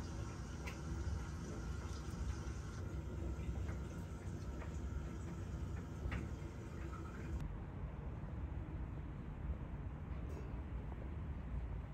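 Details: Quiet indoor background hum with a soft water-like hiss and a few faint clicks, and no animal calls.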